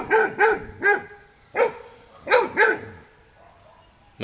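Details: Dog on a morning walk, scared to pass a buffalo on the way, barks in a series of six loud harmonic barks over about three seconds, spaced in pairs and singles, then a short pause and another onset at the end.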